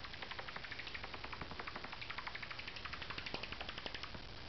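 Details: Angry bat tucked out of sight in carport rafters at night: fast, continuous ticking chatter of sharp clicks, roughly four a second, with a low background hum throughout.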